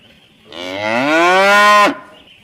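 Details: Tame cattle returning from the rice fields to eat fresh grass near the barn in a rural village: one long, rich moo that rises steadily in pitch over about a second and a half, then cuts off abruptly.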